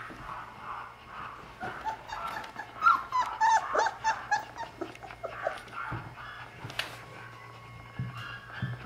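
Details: Very mischievous Golden Retriever puppy siblings at a pet shop, playing together: a busy stream of short whimpers, squeaky yelps and low growls, with scuffling noises and a few sharp knocks in an indoor room.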